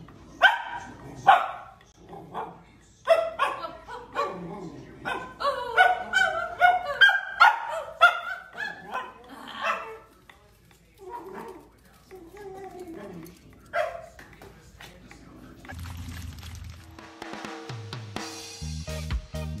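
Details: Sausage dog, a Dachshund, giving a long run of quick, high-pitched barks and yips at an irregular pace, thinning out midway; music-like tones enter near the end.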